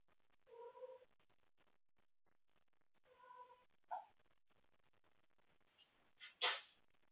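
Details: Indoor cat playing with toys late at night and calling for company: two soft meows a few seconds apart over a hissy background, then sharp clattering knocks like toys being batted about.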